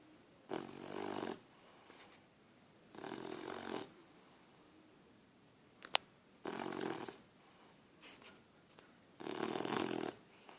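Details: Puppy Harley, asleep on someone, snores in a slow series of four rough, raspy breaths spaced about two to three seconds apart; a brief sharp click and a faint short noise fall between them.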